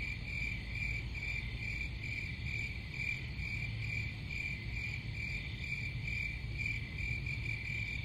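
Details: Many crickets trilling together, the high buzzy chirps swelling in faint pulses a little more than twice per second, with a steady low background rumble underneath.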